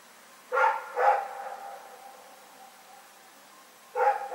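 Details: Rex the dog barking in the night on February 27, 2018: two quick barks half a second apart, a pause of nearly three seconds, then one more bark, each with a ringing echo.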